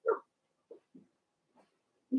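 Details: Blenheim Cavalier King Charles Spaniel puppies from a litter of six, two girls and four boys born March 7–8, in an indoor puppy pen; short soft whimpers and yips come in scattered bursts, with a louder squeak at the start and end.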